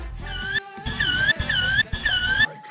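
A young donkey gives a squeaky, whistle-like call repeated in quick bursts over background music.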